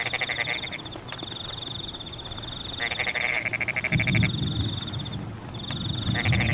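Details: Rain-soaked rice fields with frogs giving fast, buzzy pulse trains, loudest between three and four seconds, a continuous thin high whine and clusters of short high chirps behind, with a deeper splashing rumble of rain.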